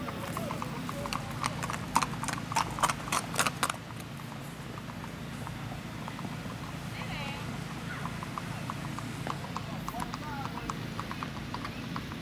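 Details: Ridden strawberry roan Tennessee Walking Horse stallion with a girl aboard on a ladies' trail ride in Macedonia, Texas; loud hoof clops early, then softer footfalls, with voices and a brief chirping sound.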